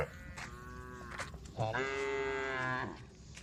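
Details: Tame female cow among a group on a road, calling the herd: one drawn, steady harmonic moo lasting over a second after faint earlier calls, with a rumbling background.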